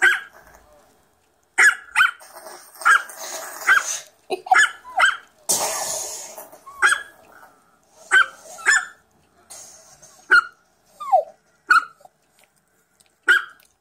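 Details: A Chihuahua recording played on a computer, with another dog listening, gives a run of high, sharp yapping barks, some short and some drawn into whiny yips.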